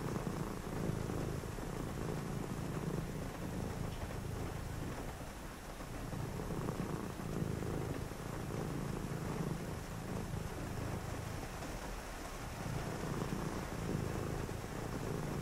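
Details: A cat purrs through a rainy night, its low vibrating rumble rising and falling in slow breathing cycles every few seconds, with steady rainfall hissing behind it throughout.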